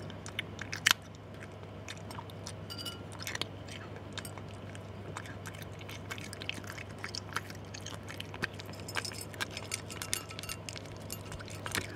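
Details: Repeated sharp crunches and clicks of kibble being chewed sound over a constant low electrical hum. No animal voice is heard.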